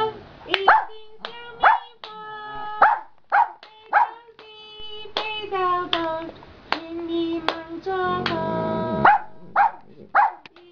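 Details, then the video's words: Afternoon calling by a contented giant panda, resting between bouts and suddenly calling loudly: short tonal notes repeated roughly every second, each opening with a sharp snap, with a longer sustained note in the middle. "Panda Practicing Singing in the Afternoon"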